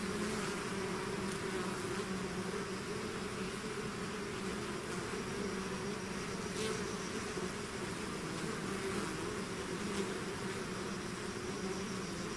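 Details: Swarming bees leaving their hive fill the air with a continuous humming drone, steady and dense, punctuated by faint quick passes of single bees.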